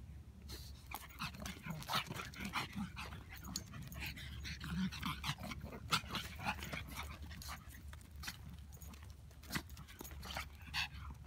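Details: Pug puppy playing with a friend, another dog present; quick rhythmic panting and snorting bursts with occasional whimpers, a low steady hum underneath and Spanish speech nearby.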